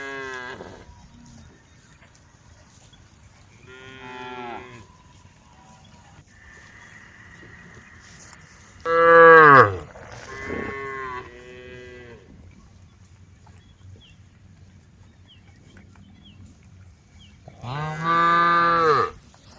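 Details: Tame female cows in a group on the road moo at intervals of a few seconds, each call short and harmonic, with louder bellows sliding downward in pitch and quiet gaps between.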